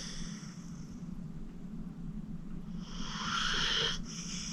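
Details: Deeply asleep, 14-year-old rescued pit bull Acorn gives a single airy, rasping snore breath near the end, after a quiet stretch with only a low, steady background hum.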